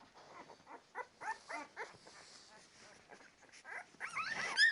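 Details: Litter of 10-day-old Labrador Retriever puppies making short repeated squeaky whimpers, several per second, ending in a louder jumbled burst of overlapping cries.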